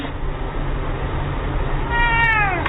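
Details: Cat letting out a short, falling meow near the end over a loud, noisy background rumble.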